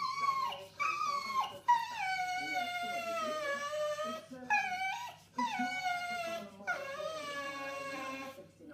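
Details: A female English Bull Terrier whines in long, high, wavering tones that slide downward with brief breaks; owner thinks she is hungry, a habit when she wants food or attention.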